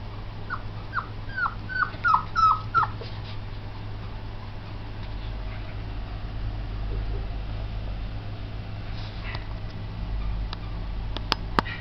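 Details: Border Collie giving a quick run of six short, high, downward-sliding whimpering yips within the first three seconds, then quiet apart from a steady low hum and a few faint clicks near the end.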